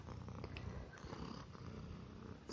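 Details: Indoor domestic cat, a calm male house guest, purring while eating; an even, low, fluttering purr continues without a break, ending in a faint high squeak.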